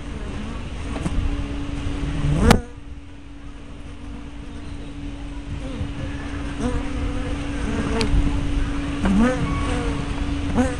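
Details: Honey bees at hive entrances, 24 May 2012, picked up by a spy cam with a fisheye lens: a steady low hum runs throughout, with single buzzes of bees flying close that swell and fade, a sharp click near the start and a low rumbling background.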